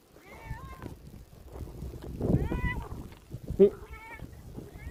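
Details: Black domestic cat, unhappy about the hail, gives repeated plaintive mews, each slightly rising then falling, about one a second, with hail pattering and a sharp knock in the background.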